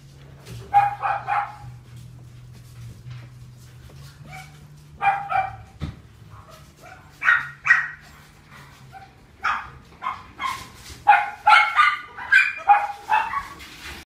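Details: Female Chihuahua, red sable and white, born 10 February 2018, barks in quick high yapping bursts, single and in clusters of two to four, growing busier toward the end, over a steady low electrical hum.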